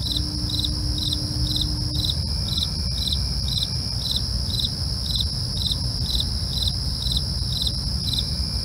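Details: Night crickets chirping in regular pulses roughly twice per second above a constant high-pitched trill, with a low droning background and a faint brief tone early on.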